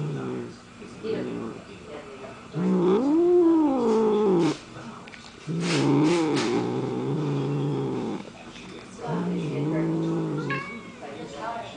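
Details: Several pet cats hanging out together at home; drawn-out wavering meows rising and falling in pitch, with a long yowl near the middle, alternating with quieter gaps, light background voices.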